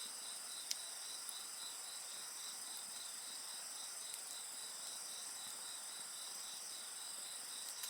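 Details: Near a burning bonfire, insects keep up a bright, high, constant buzzing hum with a pulsing trill steadily repeating; brief crisp pops from the fire punctuate it.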